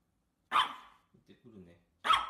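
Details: Micro poodle puppies indoors in Japan: two sharp, high yaps about one and a half seconds apart, with soft low murmurs between them.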